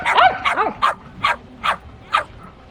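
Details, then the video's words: Shetland sheepdog giving a short run of six sharp barks, the first two with sliding, yelping pitch, then evenly spaced clipped barks about every half second. "Sheltie Barking Sound Effect | Sheltie Dog Barking"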